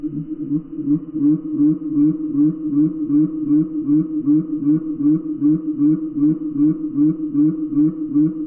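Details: A gray tree frog's trill, slowed down into slow motion, becomes a low, steady series of throbbing pulses.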